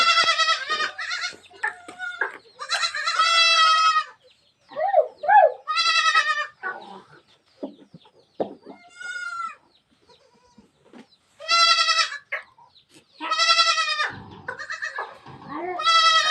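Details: Goat kids bleating in the morning on a farm at Sangli as they are let loose: loud, quavering, harmonic bleats in bursts every second or two, several callers overlapping, with brief human voices between.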